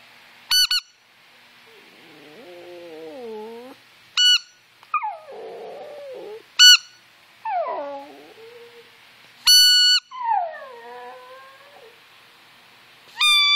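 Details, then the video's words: Yorkshire Terrier named Brooke howling in response to squeakers and whistles: wavering, falling howls between sharp high squeaker or whistle bursts, several howls across the stretch. "Howling yorkie"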